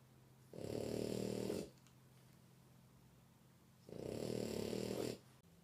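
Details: A female French Bulldog snoring loudly in her sleep indoors: two long, coarse, buzzing snores about three seconds apart, each lasting over a second, with quiet breathing between them.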